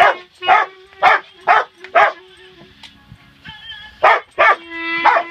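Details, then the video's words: Family Rottweiler Bella, alongside Penny, joins a child's clarinet practice with bursts of harmonic yowls about twice a second, then a short gap where only soft clarinet notes sound before the yowling resumes. "Rottie sings with Clarinet"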